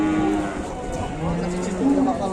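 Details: Super jumbo fattened cattle at a cattle market, one giving a steady low moo that holds, breaks off, then returns briefly near the end, with crowd chatter and talking all around.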